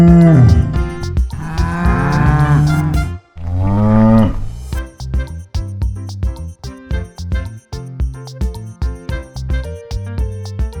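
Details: Farm cow mooing: two long, deep, drawn-out moos in the first four seconds, over a steady rhythmic music track that continues alone afterwards.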